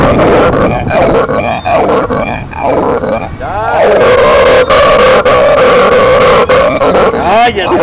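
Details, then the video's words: Captive howler monkey (araguato), said to have just become an adult, roaring: broken grunting at first, then a long, loud, steady rasping drone, with people talking at the start. "MI ARAGUATO SOCRATES RONCANDO"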